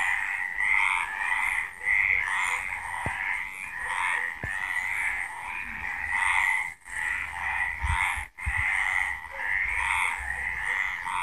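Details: A dense night-time chorus of frogs at Villa del Campo, Extremadura, gives a steady mass of rapid, overlapping trills and chirps.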